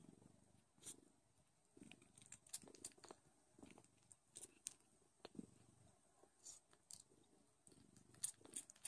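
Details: Don Sphynx kittens nursing indoors, loud: a low rumbling purr swelling in short bursts about once a second, overlaid with sharp wet sucking and clicking sounds from the suckling kittens.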